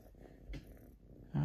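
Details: Siberian Forest kitten Selby, a female pet indoors, enjoying attention from dad: a low, steady rumbling purr running through most of the moment, ending with a louder, brief voiced sound.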